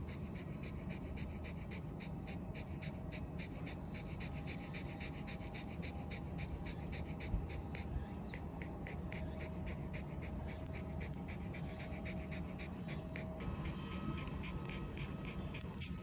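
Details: Ranmaru the Shiba Inu sprawls on cool shaded concrete beneath a small hilltop shelter, panting when hot and content. Rapid regular breathy pants continue throughout, with one short louder puff and steady low wind noise.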